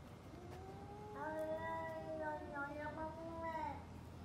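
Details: Two domestic cats trading calls before a fight: two overlapping, drawn-out harmonic yowls, one lower and steady, a higher wavering voice joining midway and bending up and down, over a low background rumble.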